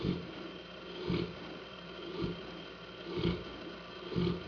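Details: Saint Bernard named Hanna snoring indoors, deep rasping snores repeating about once a second, each a short noisy rumble with a steady low hum underneath.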